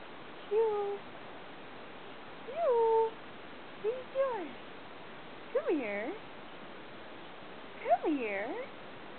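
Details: Dog howling at midday indoors, set off by sirens and a passing train; five short mournful howled notes, rising then sliding down, spaced about every one and a half seconds over a quiet hiss.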